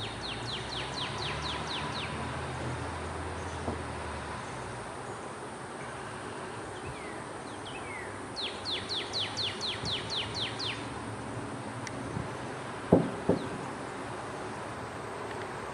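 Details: Eastern gray squirrels fighting up in a tree in Houston, Texas, give bursts of rapid, sharp, scratchy chattering notes against a steady background hiss.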